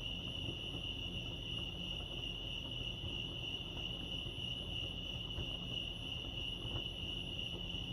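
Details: Lake Arrowhead crickets in California keep up a piercing, level trill with a faint higher ring above it, steady for the whole stretch, while a low background hum runs underneath.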